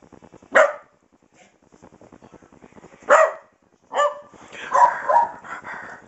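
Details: Playful little dog indoors with a rawhide chew, giving short sharp barks at about 0.6 and 3.1 seconds, then a yappy whining vocalisation near 4 to 5 seconds; a person tells it no bark and to get its bone.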